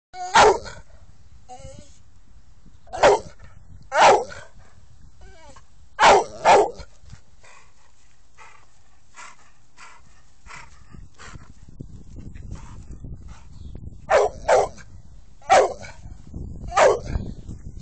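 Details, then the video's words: American Staffordshire Terrier named Sam barking in loud, sharp bursts, singly and in pairs, with quiet pauses between; about a dozen barks over the stretch, faint background rumble "American staffordshire terrier - SAM"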